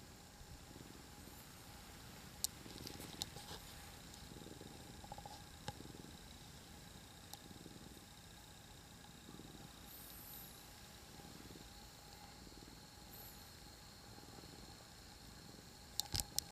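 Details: Three cats piled together on a person's lap, purring softly: a low rumbling pulse swelling and easing about once a second, with faint rustles and an indoor hum.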